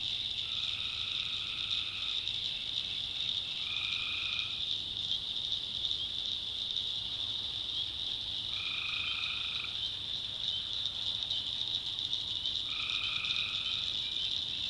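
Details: A North Carolina swamp at night, with tree frogs calling: four level, nasal notes of about a second each, roughly four seconds apart, set against a dense, high, continuous buzz of crickets and distant frogs.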